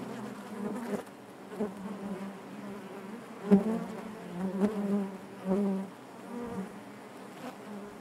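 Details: Honey bees inside the hive give a low, pulsing hum, with louder buzzes flaring now and then over a softer drone and a few faint clicks.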